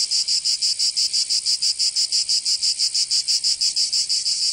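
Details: Cicadas of Provence in southern France calling in summer, producing a loud metallic buzz chopped into very regular pulses about three per second, nothing else audible.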